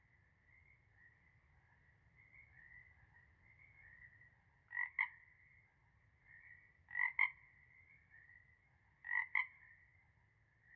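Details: Frog chorus with paired croaks near 1 and 2 kilohertz-range bands repeating about every two seconds over a steady background drone of distant calling frogs.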